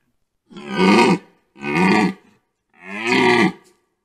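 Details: A red deer stag during the rut, recorded from a photo hide at a wetland, gives three deep, drawn-out, throaty roars, each about a second long.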